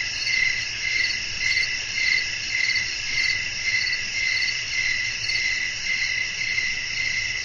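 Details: A cricket chorus at night, wind in the background; bright, continuous high chirping swells and fades in even beats close to twice each second.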